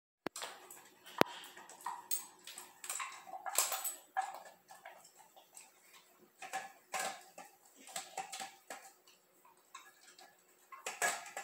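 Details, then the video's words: Dog eating, close and indoors: wet slurping and smacking bursts come in uneven clusters every half second to second, with a few sharp clicks near the start and quiet gaps between mouthfuls. "slurps and glurps // ASMR // Dog sounds"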